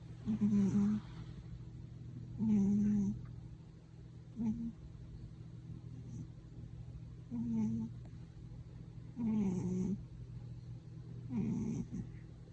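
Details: A domestic cat snoring loudly while asleep indoors, louder than anyone in the household: rough, throaty snores repeating roughly every two seconds, some short and choppy, others longer, over a steady low hum.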